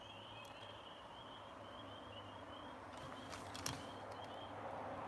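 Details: Spring peeper (Pseudacris crucifer): a distant chorus near a pond gives high, short peeps repeated over and over against a low hum. The frogs stop calling when there is noise.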